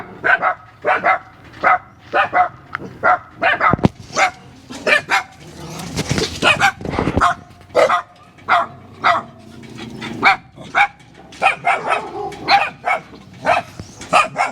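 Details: German Shepherd barking: a steady run of short, sharp, fairly high-pitched barks, often in quick pairs, nearly two per second throughout, with a brief rough scuffling noise near the middle.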